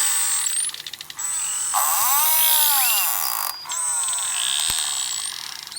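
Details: Beluga whales, a small group isolated from the larger herd in a sea-ice entrapment, exchange contact calls to keep track of one another: buzzy, pulsed bursts with arching harmonics and thin high whistles.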